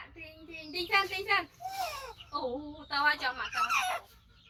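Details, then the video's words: Rescued five-month-old male baby monkey, missing one foot from a trap injury, calling loudly while waiting for his carer to feed him; several harsh, harmonic cries in quick bursts, some wavering and falling, others rising, with short gaps between. "Monkey Koko Make Sound So Loudly During Waiting Mom For Eating"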